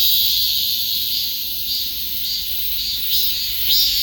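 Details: Cicada buzz, bright and unbroken, rising and falling in uneven surges that grow louder toward the end.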